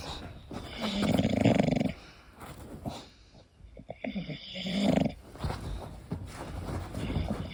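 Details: English Bulldog named Koda asleep, giving two rasping, pulsed snores about four seconds apart, separated by softer, uneven breaths and faint snuffling.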